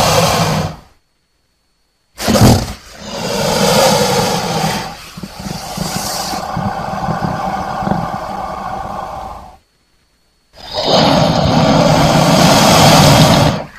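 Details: Crocodile giving harsh, rasping roars: a short burst, then one long growling roar of about seven seconds and another loud sustained roar, separated by abrupt silent gaps, with a rough, noisy texture and a deep underlying rumble.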